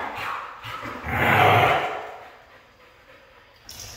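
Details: Red female Siberian husky giving a single harsh, breathy vocal burst lasting about a second, with a faint tonal line inside, followed by near-quiet room sound and a soft noise at the end.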